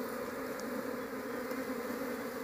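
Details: Large colony of Asian honey bees (Apis cerana) opened while searching for the queen to raise at home; a steady, dense droning hum with two strong low tones holds evenly throughout.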